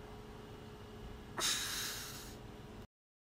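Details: Pug pup sitting on his brother's face: quiet hum, then one sudden, noisy snort lasting about a second, then silence after the sound cuts off.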